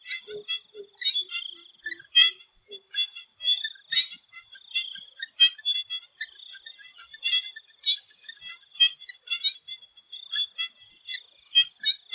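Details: Swamp frogs in Thailand before sunset, many calling together in short pulsed, rattling bursts that overlap irregularly, with a few low soft notes early on and a steady high insect drone underneath throughout.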